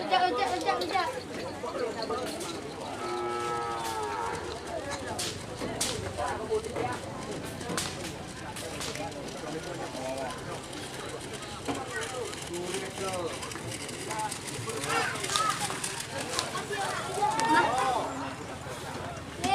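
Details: Cattle in training for karapan sapi bull racing at the Asemanis field on Madura, East Java, Indonesia, ahead of the DRT event. A drawn-out, harmonic low moo rises near the third second, then fades into steady crowd chatter, shouts and outdoor bustle.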